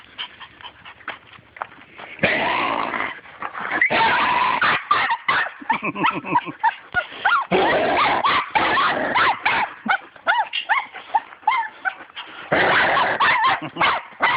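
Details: Small dog that wants a turtle, making monkey-like sounds: dense bursts of high, wavering yelps and whines in quick strings, starting after two quiet seconds and running almost continuously with brief gaps, with a short pause near the end.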